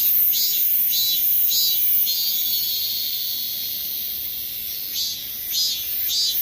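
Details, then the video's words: Korean cicadas. Pulsing buzzes come in quick rhythmic runs, pause to a steady high whine in the middle, then resume near the end. "매미 소리 Korean cicadas"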